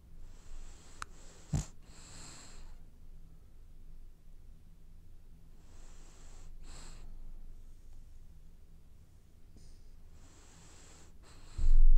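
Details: Sleeping French Bulldog dreaming, with raspy snorts and hissing inhalations recurring every few seconds in a quiet room, a sharp knock early on and a loud thump at the very end.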